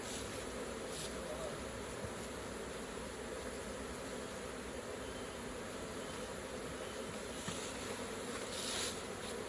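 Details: Dense, even buzzing of honey bees swarming around a hive opened for harvesting raw honey, a continuous rough hum without breaks and no other clear sounds.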